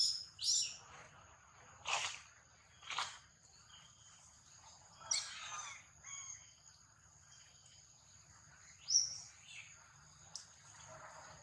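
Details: A baby monkey being attacked lets out a series of sharp, shrill screeching bursts, spaced irregularly roughly a second or more apart, some short and some stretched, over constant high-pitched background hiss.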